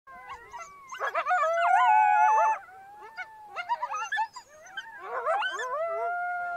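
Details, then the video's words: Lone wild coyote howling in the snow: long wavering howls that rise and fall in pitch, broken by short yips and quavering notes, in two bursts around a quieter middle stretch. "Coyote solitário uivando na neve"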